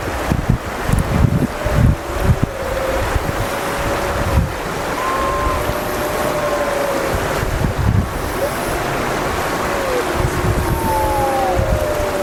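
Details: The Wapiti family group of gray wolves in Yellowstone howls together one morning during rallying behaviour: long, smooth, overlapping notes against heavy wind.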